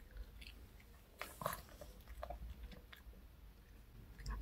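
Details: Pet dog Reka indoors eating a chocolate cupcake and milk, the last of the snacks bought at K Pet Fair; soft wet chewing and a short burst of sharp bites and crunches, over a low room hum.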